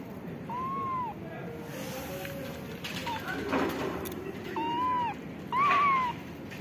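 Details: Calico mother street cat in Morocco, caring for ginger and grey kittens, meows for food so she can make milk for them: three clear, drawn-out arching meows, a pause and then two close together, with a faint voice and low outdoor rumble.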